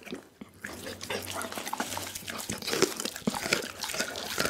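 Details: Close crunching and slurping as Doggy, a pit bull, eats a whole chicken; a short pause at the start, then thick wet chewing with bone snaps, over a low hum.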